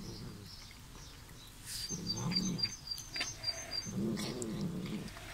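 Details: A visiting Bengal kitten, a loud one, makes low, rumbling growl-like murmurs in bursts while eating, with faint high chirps behind.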